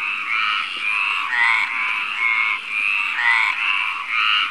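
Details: Male Mediterranean tree frog calling at night in May near Barcelona, Spain, vocal sac inflating; loud rasping croaks in long pulsed bursts, one after another with barely a pause, steady and continuous.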